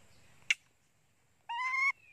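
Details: Pet monkey screaming loudly, hungry for its mother: a sharp click, then after a pause one bright, harmonic, level scream of under half a second. A woman's voice is heard nearby.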